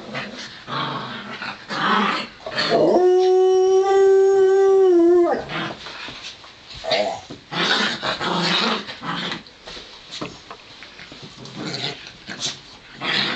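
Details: A Pomeranian and a Ridgeback mix dog wrestling in play: a sustained, steady howl-like tone with strong harmonics lasts about two seconds mid-clip, framed by scuffling, huffing and short growly noises before and after.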